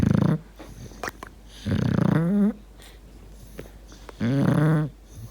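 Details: Bulldog asleep indoors, three loud rumbling snores, some ending in a rising wheezy whistle, separated by quiet pauses of about two seconds.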